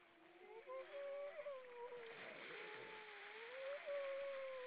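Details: A grey seal in the Baltic Sea, Estonia, sings in the evening: a haunting, drawn-out, wavering moan sliding slowly up and down, over faint water and low background rumble; finding: Grey seal.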